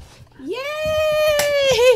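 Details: Weimaraner named Jackson, frustrated after being stuck under a bed for 30 minutes indoors, gives a long, steady, high whine that slides up at the start and holds level, dipping slightly near the end; a brief click sounds midway.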